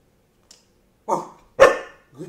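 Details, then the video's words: Domestic dog barking on command: a faint click, then two loud, harsh barks about half a second apart, the second sharper and stronger, with a softer low bark starting at the end. "Bark On Command"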